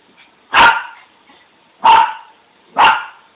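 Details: A pet dog barking while being teased: three loud, sharp barks spaced about a second apart, each short and harsh, in a quiet room.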